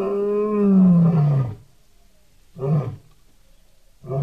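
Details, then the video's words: Lion calling, recorded July 2016: one long falling moan-roar with a clear tone, followed by two short low grunts about one and a half seconds apart. "Amazing lion sound"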